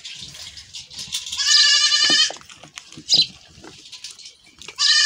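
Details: Goat fleeing after milking gives a strong, nasal, drawn-out bleat lasting almost a second, then a short second bleat at the end, with rustling and knocking sounds between.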